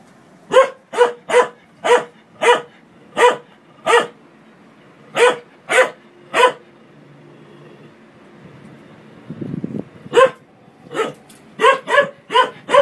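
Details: Dog barking at a washing machine indoors: crisp, evenly spaced barks about every half second in a run of eight, a pause, three more, a short rumbling noise, then a fast closing series of barks.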